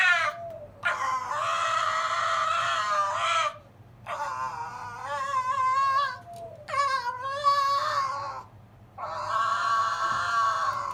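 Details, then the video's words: Kennel-kept silver fox Zorro whines at his big brother Tod during their nightly squabble before settling to sleep; four drawn-out, wavering whine bouts, each a few seconds long, with brief silences between. "Zorro the silver fox whining and yawning"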